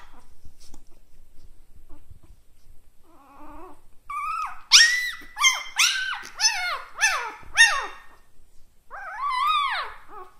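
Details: Puppy barking: a few soft whines, then a burst of about eight high-pitched, arched barks in quick succession, roughly two per second, followed by a pause and one last drawn-out yelp.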